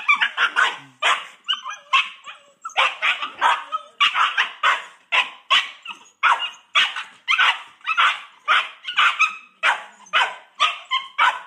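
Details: Two Boxer puppy siblings, female brindle Paizley and male fawn Pepsy, born February 2014, squabbling over a coveted pig ear: rapid strings of harsh, noisy barks and growly yelps, bursts roughly every half second throughout.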